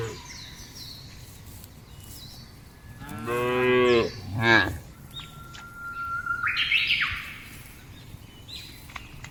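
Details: A cow in a field gives a short double moo, a rising bellow followed by a brief second call, then birds chirp and whistle clearly afterward.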